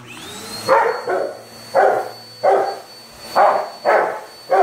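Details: Onyx, a Rottweiler, attacking a running vacuum cleaner like a wild beast; deep rough barks in bursts about every half second to second, six or seven in all, over the steady whine and hum of the vacuum.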